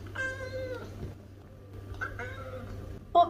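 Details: A Lynx point Siamese cat, male, gives two soft, drawn-out meows and then a brief, sharper one, meowing gently at his human while looking her in the eyes; Siamese cat.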